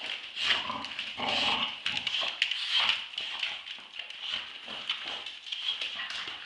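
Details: Play fight over a tug toy between two Staffordshire Bull Terriers, Roxy, two years old, and eight-month-old Ralph: continuous strained, whiny growling with sharp yelping bursts and scuffles.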